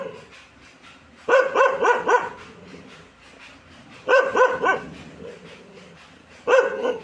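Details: Dog barking in three bursts of rapid barks, around four barks per burst, with short quiet gaps between bursts and low background noise.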